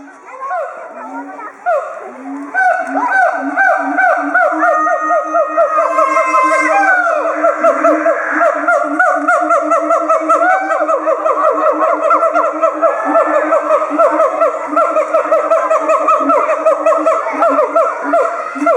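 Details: Two siamangs at Chiba Zoological Park, Japan, roar together with inflated throat sacs, a threat display aimed at territorial intruders, 18 October 2013. The calls build into a rapid, dense run of barking hoots over steady low booms, with children's voices around.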